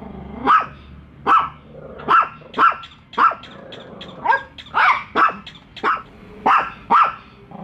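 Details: Pet dogs Bico and Faith barking at a toy dog on first meeting it; sharp mid-pitched barks at irregular intervals, about one every two seconds, with a faint low hum underneath.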